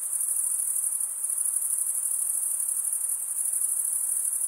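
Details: Shrill cricket stridulation as one constant high-pitched ringing trill with subtle pulsing and a low background hiss.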